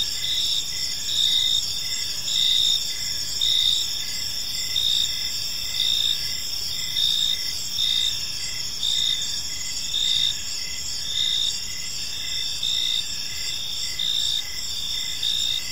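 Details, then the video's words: Evening cricket chorus in a tranquil park: shrill, unbroken high trilling punctuated by regular louder chirps about once a second, steady and even throughout, faint low background noise and nothing else clearly heard. "Cricket Sounds in a Peaceful Park"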